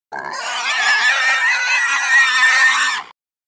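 A pig gives one long, harsh, shrill squeal lasting about three seconds.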